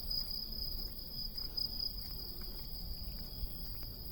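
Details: August cicadas sustain an even, high-pitched buzzing drone without pause over a low, rumbling outdoor background.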